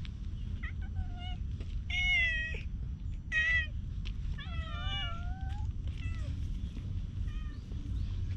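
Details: Wriggling, rubbing stray cat recorded with a GoPro HERO8: a series of clear, bright meows, some drawn out and bending downward, others short and chirp-like, over a low rumbling background.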